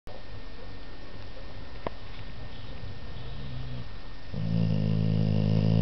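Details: A sleeping American Staffordshire Terrier snores. Faint low breathing fills most of the recording, then a loud, rumbling, low-pitched snore begins near the end and carries on steadily, with a single short click midway.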